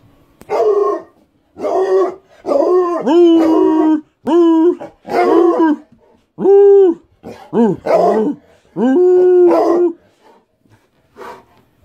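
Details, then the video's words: A male Black and Tan Coonhound, who reliably howls before walks or treats, bays in long, mournful, wavering bursts, each about a second long. "Black and Tan Coonhound Baying/Howling (Vernon)"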